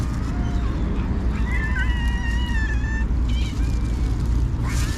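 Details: Cats gathered while a person feeds them; a long level meow held for over a second, followed by shorter wavering mews and a brief rising cry, all above steady low-pitched background noise.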